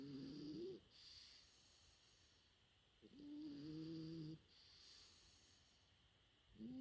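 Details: Sleeping French Bulldog puppy, four months old, giving long droning snores with a slightly rising nasal tone, two full snores about three seconds apart and a third starting at the end, soft airy breaths in the gaps.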